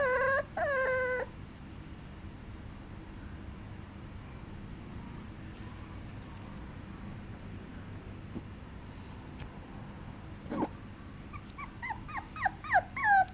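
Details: Papillon puppy giving high, tonal whines that slide downward, a short burst at the start, then a long quiet gap with faint clicks, and finally a quick series of repeated descending whimpers.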